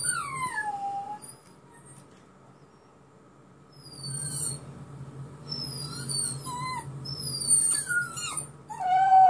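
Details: Dog reacting to a recording of himself crying, answering with whimpering, sliding tones and short howls that grow louder toward the end, mixed with high falling whines from the played-back crying.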